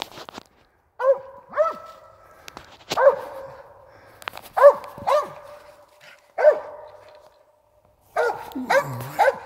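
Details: Hunting dog barking at a squirrel it has treed during a squirrel hunt: loud, clear, mid-pitched barks, singly and in pairs every second or two, with a brief rustle and a faster burst of barks at the end.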